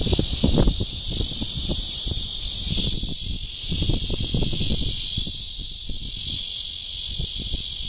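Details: Courting red-veined cicada, Cryptotympana holsti, in Guangming Park on Yuanhua Road, Zhongli, on 28 June 2013. A loud, bright, unbroken buzz dominates, dipping slightly near three seconds, with soft low knocks underneath.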